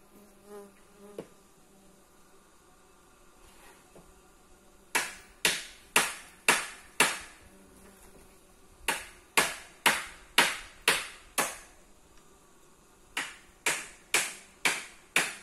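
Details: Bees building a mud nest in a tree in the jungle of Sri Lanka during the dry season, recorded close up in daytime on a phone: short sharp buzzy bursts, each fading fast, come in quick runs of four to six with brief pauses between.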